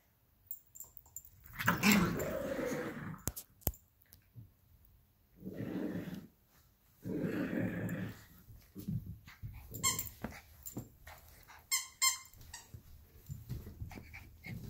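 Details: Two dogs, Luigi, a 12-week-old Alaskan Klee Kai cross Pomeranian puppy, and Pooki, a 7-year-old American Eskimo cross Chihuahua, fight over a toy fox. Rough, rumbling growls come in separate bursts of a second or two, with short pauses between them.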